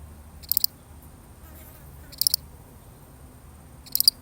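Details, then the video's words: Single solitary cricket heard in a real recording, giving three bright, high-pitched chirps of a few rapid pulses each, spaced roughly one and a half seconds apart, against a soft low background hum. "The sound of one lonely cricket"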